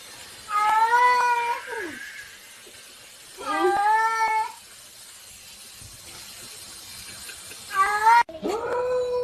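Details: Cats meowing: three loud, wailing meows roughly three seconds apart, each sliding down at the end, with a sharp click or knock near the last one.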